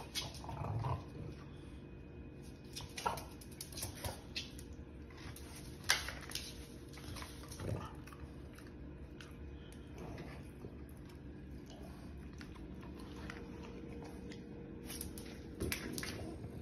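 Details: A French Bulldog gives a few short, sharp barks, barking while jumping, over a low indoor hum.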